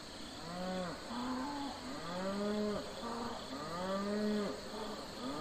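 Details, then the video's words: Domestic cattle on a farm give a run of deep, drawn-out moos with rich harmonics. Each arching call lasts about a second and follows closely on the last, with faint insect chirring underneath. "Cow Calling / Mooing / Sound & Behavior"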